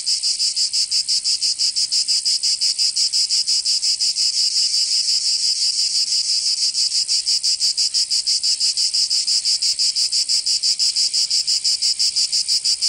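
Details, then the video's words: Loud high buzzing of cicadas in summer in Provence, southern France, a strongly regular rapid pulsing, roughly three beats per second, holding evenly for the whole stretch without pause. "Canto Cigarra 🦗 [ Escuchar les cigarras en verano 10 H]"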